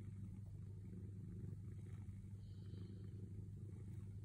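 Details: A cat named Sailo purrs while waiting to be petted, giving a continuous deep vibrating rumble with a fast, slightly uneven throb and no pauses, plus a few faint higher rustling traces.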